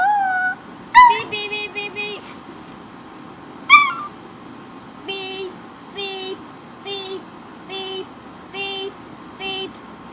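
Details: Pet dog howling in response to a car alarm, indoors; a steady tonal howl, then repeated electronic alarm beeps in a regular pulse roughly every second, with a sharp yelp-like onset and faint voices.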